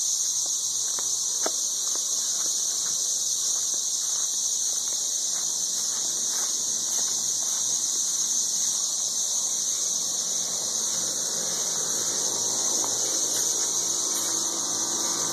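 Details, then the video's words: Ridiculously loud chorus of 13-year cicadas in Nashville, Tennessee: an unbroken shrill drone saturates the air for the whole stretch, steady and high, with only faint scattered knocks and rustles underneath. "Ridiculously loud 13-year cicadas"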